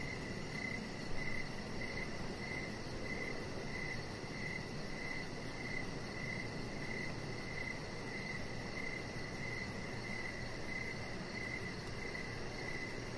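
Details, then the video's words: Crickets calling in the evening outside by a deck strung with decoration lights, sharp high chirps recurring at a brisk, regular pace over steady low hum and hiss. "Chihuahua Puppy Laying On Deck with Cricket Sounds"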